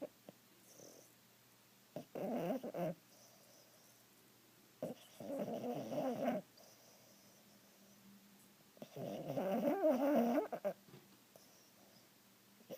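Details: A Boston Terrier sleeping on a couch, dreaming, snores in rough, rumbling bursts, each lasting about a second and separated by quiet pauses.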